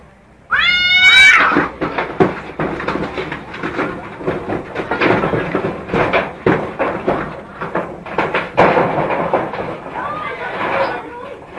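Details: Fighting alley cats: a sharp, high screech opens, followed by a long burst of scuffling, thumps and spitting hisses, with a brief wavering cry near the end.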